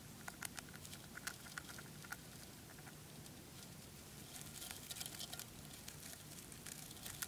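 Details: Crunchy nibbling from a dwarf hamster eating spray millet: a continuous patter of small dry clicks, thickening into busier crackling bursts toward the end, with low indoor hum.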